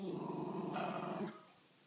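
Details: A Miniature Schnauzer growls and grumbles in a rough, rumbling fit of protest over chicken he is not allowed to have.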